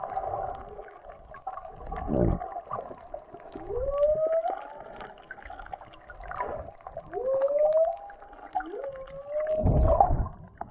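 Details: Whale song heard underwater while snorkelling off Puako on the Kona Coast of Hawaii's Big Island: repeated rising moans and upsweeping wails, with low bubbling and rumbling in between.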